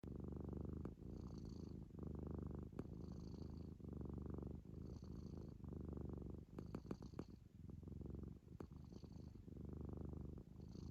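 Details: Sleeping Munchkin kitten snoring and snorting: deep, rough rattling breaths come in bursts about once a second, separated by short pauses, with faint airy whistling snorts riding on top.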